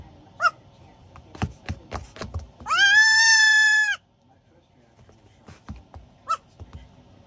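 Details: Young goat kid, four weeks old, calling while wanting to be tucked in for sleep in a slipper; one loud, steady, nasal bleat lasting over a second, framed by faint squeaks, rustling and handling noises.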